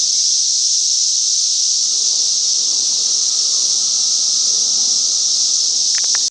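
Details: Massed cicadas in a Chicagoland back yard during the last great invasion, producing a constant, intense, high-pitched droning hiss at even loudness, with a couple of faint clicks near the end.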